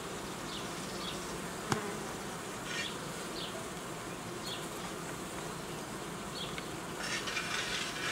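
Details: Honey bees at an apiary during the uniting of colonies and the replacing of old queens with young ones. A dense, steady hum fills the clip, with faint short high chirps, a sharp click near two seconds and a brighter burst of noise near the end.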